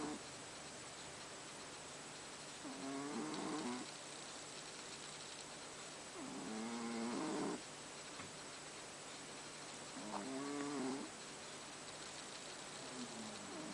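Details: Snoring domestic cat named Haru, asleep: three drawn-out, grating breaths roughly four seconds apart, each rising and falling in a rough vibrating rattle, with a faint hiss throughout.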